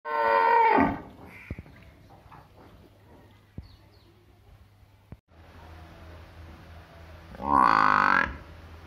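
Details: Cattle in a village setting give two loud harmonic moos, one at the start and one near the end, with a quieter stretch of low hum and faint clicks between them.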